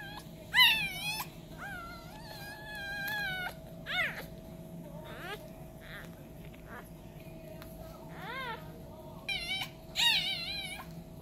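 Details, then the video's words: Four newborn Isabella Carrier French Bulldog puppies, two girls and two boys, giving short high squeaky cries and whines in several bursts, with quiet gaps between them and a steady low hum in the background. "ISABELLA CARRIER FRENCH BULLDOG NEWBORNS"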